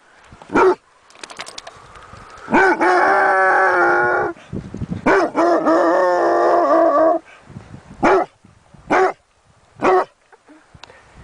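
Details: Dog giving sharp single barks spaced about a second apart, broken by two long, drawn-out, wavering howls or whines with rich tonal layers, each lasting around two seconds; little background noise.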